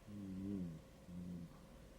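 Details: Sleeping Shetland Sheepdog snoring contentedly indoors: two low, droning, groaning breaths, the first about 0.7 seconds and the second about half a second, with quiet room background.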